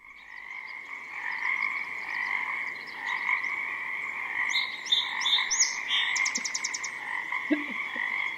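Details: Pacific tree frogs in a spring chorus near a river in forest, recorded in the morning: a dense, steady croaking chorus throughout, with a song sparrow that had landed nearby adding bright trills and chips partway through.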